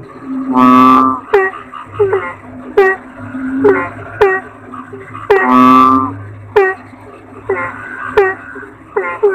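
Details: Deep toad croaks, two long buzzy bursts about five seconds apart, interspersed with numerous short, snappy falling notes at irregular intervals.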